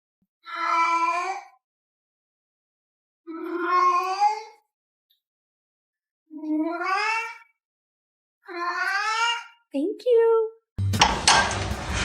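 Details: Domestic cat meowing, described as arguing with its owner: four drawn-out, slightly rising meows spaced about two seconds apart, then a brief squeaky call and a burst of loud noisy sound at the end.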